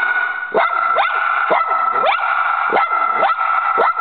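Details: Barking at a squirrel outside, the pet dog Choco repeats quick rising yelps roughly twice a second over a steady high whine, loud and insistent throughout.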